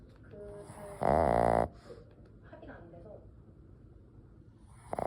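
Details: Sleeping ten-year-old Boston Terrier indoors: one loud, buzzy nasal snore lasting under a second, rich in overtones, followed by quiet, faint breathing and a short rustle at the end.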